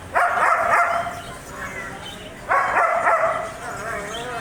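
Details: German Shepherd barking in two loud bursts about two and a half seconds apart, each a harsh bark trailing into a wavering whine.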